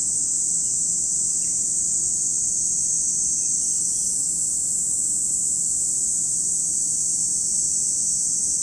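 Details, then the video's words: Cicadas at Lake Kamo in Sado City, Niigata Prefecture, Japan, in a continuous high, hissing drone that holds steady throughout without breaks. A few faint short chirps sit beneath it. "where you can hear the voice of cicadas"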